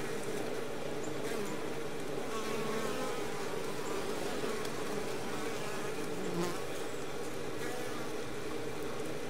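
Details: A dense, steady hum of a cluster of Western honey bees (Apis mellifera) buzzing together at close range on the front of an established hive.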